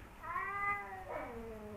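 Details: Two rival male domestic cats, Kaopat and Ronja, who never got along: a drawn-out, harmonic-rich meow bending slightly up then down, followed by a second lower, falling wail that trails off, over a quiet background hum.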